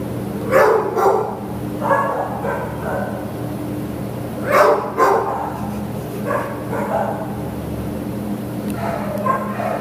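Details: Lhasa Apso dog at a shelter awaiting adoption, 15 September 2015, barking in loose pairs of sharp harmonic yaps every few seconds against a constant low hum of machinery.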